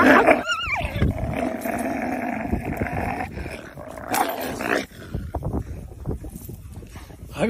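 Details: Hungry wolves: a wavering, sharply rising and falling whine opens, then a long steady tonal growl for several seconds, ending in rougher scattered snarls and scuffling.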